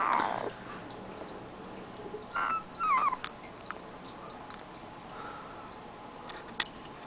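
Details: Siberian husky puppy from a 2010 litter, giving a short whine at the start, then two brief high, wavering whimpers a few seconds later amid quiet background hiss and scattered light clicks.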